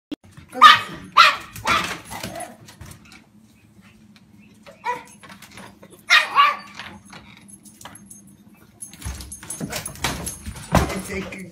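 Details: A dog that is skilled at opening doors, barking in short bursts: a cluster of sharp barks in the first two seconds, a pair near six seconds, then louder broadband noise and barks toward the end, with a steady low hum throughout.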